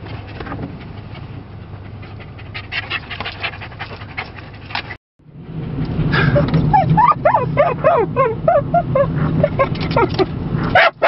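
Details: Yorkie puppy or dorkie riding in a car through scenic Lancaster County, Pennsylvania. Steady engine rumble first, then after a brief gap rapid high, whiny yips and short barks over road noise.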